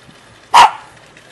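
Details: Shaggy dog in Jeonju, North Jeolla Province, Korea, giving a single sharp, loud bark, followed by a sigh from a person.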